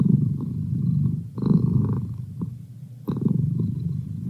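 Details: Merlin the house cat purring; a deep continuous rumble with brief dips between breaths, louder surges returning at about one and a half seconds and three seconds.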